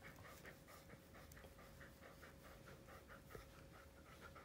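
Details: Siberian Husky Bunta, a household pet indoors, pants steadily in fast, light, even breathy bursts throughout, over a low constant room hum.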